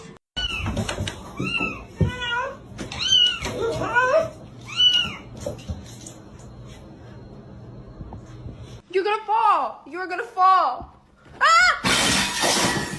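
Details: Cat in snowy winter weather, meowing in quick, short, arched calls repeated roughly once a second. A tight cluster comes near the end, with human voices and background noise underneath.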